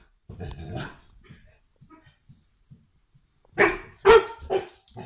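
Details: Scared domestic dog, startled by something ordinary, first barking once in a rough burst, then falling quiet apart from faint sounds, then letting out three loud, harsh barks in quick succession near the end.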